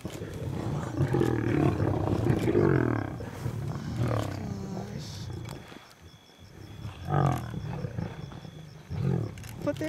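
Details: A lion pride feeding at night in South Luangwa National Park, Zambia, in July 2007: deep, rumbling growls and snarls in the first half, overlapped by people talking in a safari vehicle, with a lull and then more speech.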